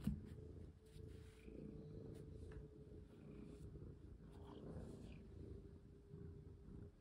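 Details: Domestic cat indoors, one of two pets being played with and fitted with a collar. A continuous low rumbling purr fills the clip beneath a faint steady hum, with soft rustling and handling noises.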